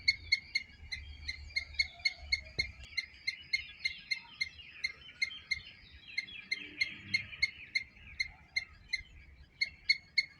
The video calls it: Loud Squirrel Chirping sounds - Squirrel sound